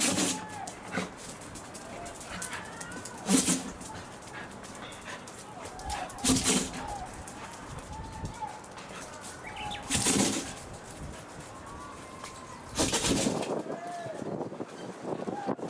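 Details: Welsh Corgi sneezing repeatedly, recorded 2 April 2021; four sharp, broadband bursts spaced a few seconds apart, with faint whistly background sounds between them.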